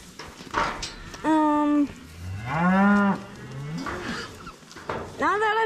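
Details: Cows being moved home, several loud harmonic moos: a short steady one, a longer rising-then-falling bellow, and another starting at the end, with handling noises and people talking between calls.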